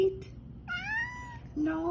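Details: Pet cat meowing indoors, asking to be fed: one long drawn-out mew that rises and then gently falls, with a person speaking just before and after and a faint hum underneath.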